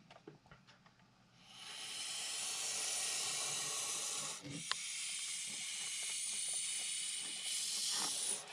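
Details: Montpellier snake hissing defensively in reaction to a threat: a long, steady, breathy hiss lasting about six seconds with a brief break in the middle, while a person speaks softly nearby trying to calm it.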